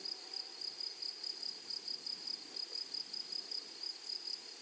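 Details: Grasshoppers in a flowery meadow keep up a steady high, shrill pulsing, roughly five rapid rasping bursts each second, running evenly through the whole stretch over faint soft background hiss.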